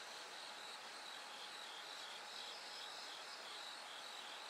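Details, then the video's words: Bell cricket singing as night slowly turns to dawn: bright, high pulsed notes in quick clusters over a constant rushing drone of many insects. "bell cricket Cry of falling insects"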